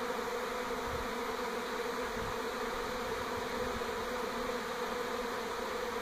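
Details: Many honey bees swarming outside a house in NE Portland, 2018, while shifting to a new hive; a thick, even, humming drone with no breaks, slight low rumbles underneath.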